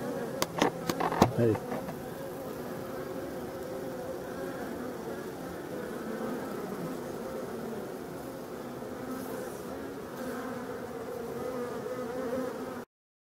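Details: Colony of European dark bees in a Voirnot hive, one of several abandoned hives in a forest, prepared for winter on 30 October 2021; a few sharp knocks open, then a continuous even buzzing drone persists to the end.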